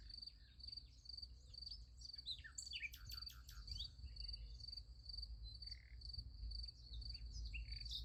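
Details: Crickets at night near a sunflower field giving constant high pulsed chirps, joined by a busy burst of bird chirps and twitters in the middle, low wind-like rumble beneath.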